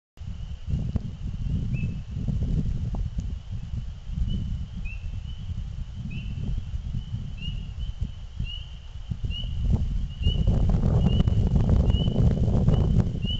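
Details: Frogs calling in spring just before nightfall, with short, high, rising peeps repeated about once a second over a low rumble.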